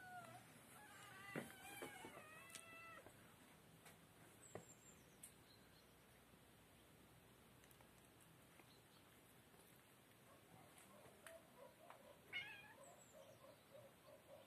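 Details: Kittens give a short burst of wavering, harmonic-rich meows in the first three seconds, followed by quiet clicks, rustling and faint high chirps.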